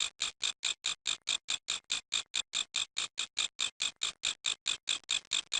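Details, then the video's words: Grasshopper stridulating in a regular beat: scratchy high-frequency chirps come about four to five per second, evenly spaced and equally loud, with silence between pulses and nothing else audible. "How Grass Hoper Making Noise"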